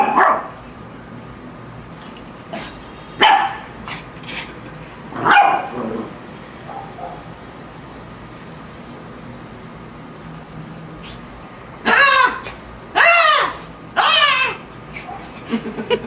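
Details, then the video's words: Lhasa Apso in a battle with a shark, giving scattered single barks early on, then a burst of three or four loud, ringing barks near the end after a long quiet stretch. "Lhasa Apso vs The Shark!"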